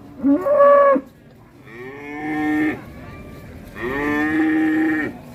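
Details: Cattle in Indonesia going berserk while ploughing, hard enough to break the plough's iron. Three clear harmonic moos: a short first call, then two longer drawn-out lows with level, steady tone and quiet gaps between.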